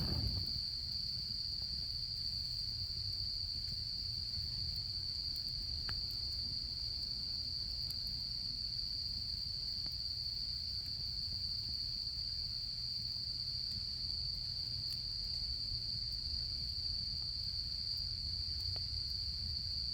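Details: A long stretch of autumn insect sound at a Japanese campsite: one clear, steady high-pitched trill running throughout, over a bed of gentle campfire crackling with scattered faint clicks.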